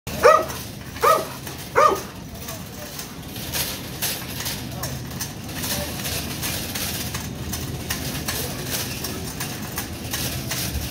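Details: Dog, said to be a fake service dog lunging at a real service dog, gives three sharp, loud barks about a second apart, then background chatter and noise follow.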